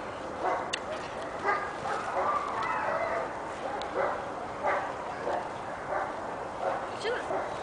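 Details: Giant Schnauzer puppy, pepper and salt, six months old, named Kali (ATLACAMANI Gümüş Sakal), giving short, uneven barks spaced about a second apart, with a human voice in the background.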